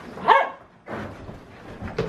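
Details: Siberian Husky during a burst of zoomies, giving one short, sharp bark followed by quieter rustling and low background noise.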